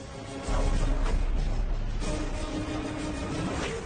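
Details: Dramatic orchestral music with deep booming percussion, and no animal sounds.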